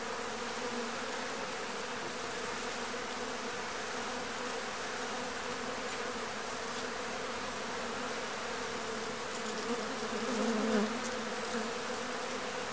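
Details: A swarm of Agelaia pallipes wasps (marimbondo-carniceiro) leaving the nest as new swarms are released. Constant droning hum with a clear low tone and its overtone, a brief louder surge of buzzing near the end.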